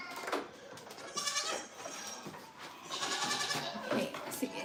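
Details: Goats on a farm, bleating in wavering, nasal bursts, with one loud bleat early and another stretched cry near the middle, over a background of indistinct human voices.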